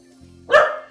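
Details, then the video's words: Pet dog barking at a window during quiet-command training, one short sharp bark near the middle, with a low steady hum in the room beforehand. "Stop Your Dog From Barking At The Window"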